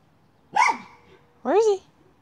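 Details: Miniature schnauzer hunting a chipmunk: one sharp bark followed by a longer, rising whining yelp.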